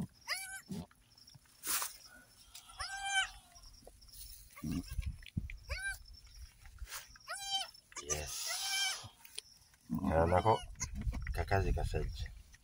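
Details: Goats at a farm kidding, where a doe gave birth to three female kids: a run of short, wavering bleats at irregular intervals, mixed with human voices and background music.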